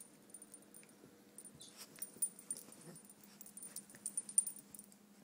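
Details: Donut, a three-year-old red toy poodle female, whines while playing her usual game; short, thin, high whine notes come in brief bursts over a steady low hum, with scattered soft taps and clicks.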